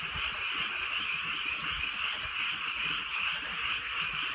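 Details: Frogs calling on a drizzly rural night: a dense, unbroken chorus of rapid high-pitched trilling croaks overlapping into a steady shimmering wall, with soft patter of light rain beneath.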